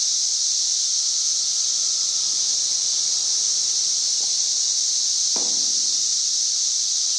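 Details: Loud cicada song, over 91 dB, from insects up in the trees, May 31, 2024: constant high hissing drone throughout, with two brief knocks or clicks in the background near the end.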